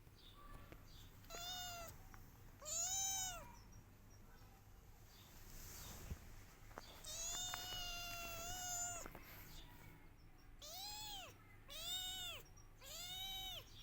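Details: Kittens crying and meowing loudly while searching for their mother; several separate arched, harmonic meows, some in quick pairs, others spaced apart, with a quiet low background hum.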